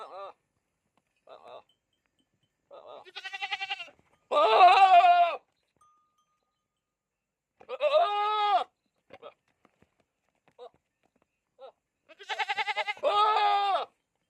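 A goat bleats in loud, wavering bursts, with softer bleats between.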